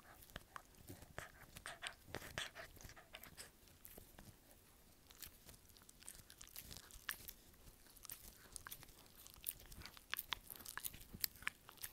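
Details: Dog chewing in a small indoor room, giving steady crisp crunching and biting clicks throughout, denser and brighter toward the end.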